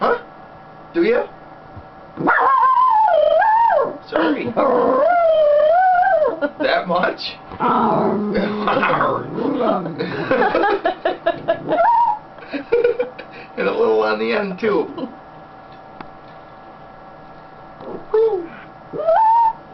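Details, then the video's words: Happy Schnauzer named Maiya, sitting on her owner's lap indoors, gives a run of wavering, yodel-like howls and whines that rise and fall in pitch, with a woman talking to her between the bursts. "Sounds of a happy Schnauzer"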